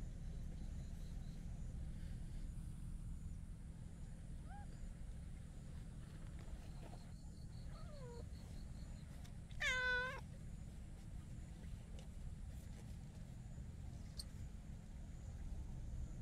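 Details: Chatty hachiware stray cat with tuxedo markings, rubbing against a person, gives two soft short mews followed by one louder, rising-then-falling harmonic meow, over a constant low hum of outdoor noise.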